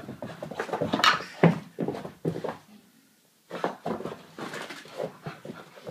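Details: Soft-coated Wheaten Terrier puppy just after a bath: quick, breathy, rhythmic bursts at roughly two to three per second, with a short quiet gap partway through before the panting resumes.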